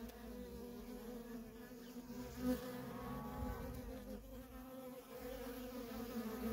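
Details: Steady droning hum from a feral honey bee colony as worker bees stream in and out, many wingbeats blending into one continuous buzz with a short louder swell near the middle.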